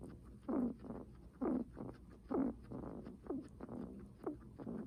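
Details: Guinea pig with loud, heavy breaths: strong rasping huffs about once per second, alternating with softer in-breaths, in a steady rhythm.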